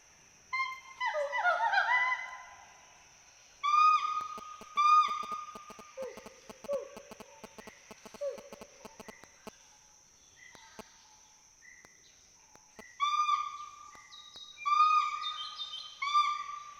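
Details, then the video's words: Bursts of bright whoops and hoots from two Western hoolock gibbons playing in the trees of Assam's Hollongapar Gibbon Sanctuary, separated by quiet spells; lower hooting notes and faint clicks come in the middle. "The sounds of Western Hoolock Gibbons playing among trees fill the Hollongapar Gibbon Sanctuary"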